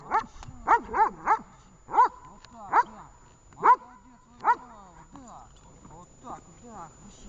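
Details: Vesta, a dog, barking during a training session in Horlivka on 20 July 2019: a run of sharp, loud barks, clustered early then spaced about a second apart, fading after five seconds into softer yips, with a person's voice nearby.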